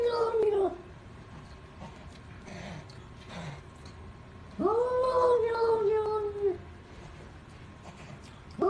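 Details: A cat utters low, moaning meows, one long drawn-out cry in the middle with a falling tail, shorter calls at the start and end, and faint background voices.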